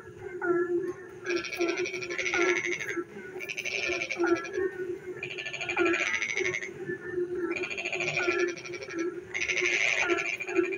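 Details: Frogs calling in the darkness while it rains: long grating pulsed bursts repeated about every two seconds, with short twisting croaks and a steady low hum throughout.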